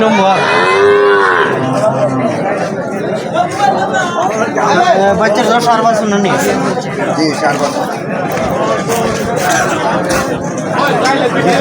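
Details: Cattle at a weekly Tuesday cattle market in Habiganj where local cows and calves are traded: a drawn-out harmonic moo near the start, then dense crowd chatter and bargaining voices throughout.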